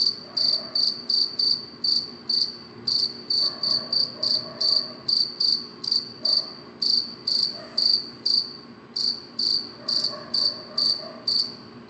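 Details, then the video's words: Cricket chirping at night, a shrill high-pitched pulse repeated steadily a little over twice per second, each chirp short and even, with faint low murmurs underneath. "cricket chirping sound صوت صرصور الليل"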